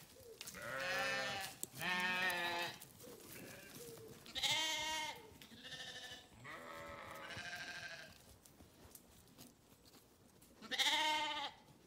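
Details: Sheep giving strong, quavering bleats, several high and trembling, spaced by quieter stretches with softer distant calls.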